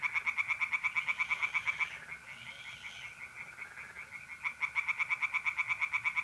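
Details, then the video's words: Tree frogs at a North-East Italian pond on a mid-April night give evenly spaced rasping pulses, about four per second, in two bursts around a brief lull, with mole crickets trilling softly behind. "relaxing singing tree frogs in pond and trilling mole crickets by night"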